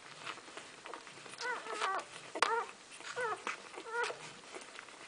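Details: First-week Golden Retriever pups feeding indoors give short, high, bent squeaks in little clusters about once a second, over a background of soft clicks and shuffling.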